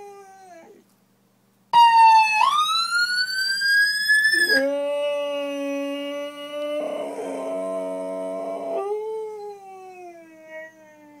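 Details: A Boxer dog imitates an ambulance siren, howling in long, wavering tones that rise and fall like a siren.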